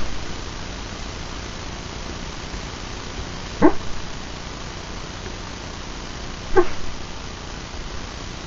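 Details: Sleeping dog vocalizing while dreaming: two soft, brief muffled yips roughly three seconds apart, quieter than the low steady background hum of the room.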